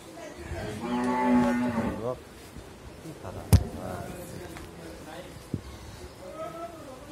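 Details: A Mundi breed cow, nine months pregnant with her first calf, at a dairy farm in Bhangura, Pabna, Bangladesh, gives one low, rich, harmonic moo lasting about a second. A sharp knock follows, over faint background noise.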